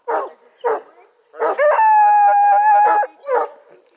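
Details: Four-month-old Redbone Coonhound puppies, a playful litter from a breeder near Kingston, Ontario, Canada. Two short yelping barks, then a long, steady, level howl lasting over a second, followed by more brief barks.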